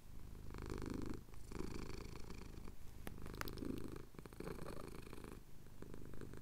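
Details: Deep pulsing purr of a male domestic cat as his chin is scratched, Cotswolds at sunrise, recorded on a Tascam DR-07X; several rumbling breath phrases with short pauses and a faint click or tap midway.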